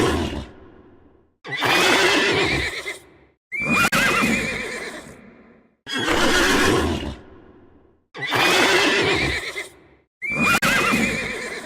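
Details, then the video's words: Horse neighs repeated six times, each a loud, quavering whinny lasting about two seconds, with a shrill start and short silent gaps between them. "CABALLOS - SOUND HOURSES"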